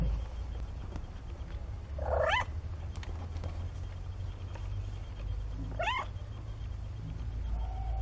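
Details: Kittens 17 days old, from a litter of four born to Nina, give two thin, sharply rising mews about four seconds apart. A constant low hum runs underneath.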